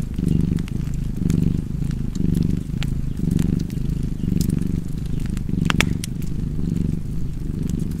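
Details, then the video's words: A cat's deep, continuous purr, rising and falling in rhythmic waves roughly every second, accompanied by the snapping crackle of a wood fire. "Purring Cat and Fireplace 4K / Wallpaper Tv Art Çerçeve / Cozy Purring Cat ASMR / Kedi Mırlaması"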